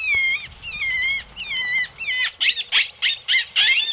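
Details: Coyote calling: high, wavering howls that slide downward, repeated several times, then break into a run of short, sharp yips and squeals toward the end.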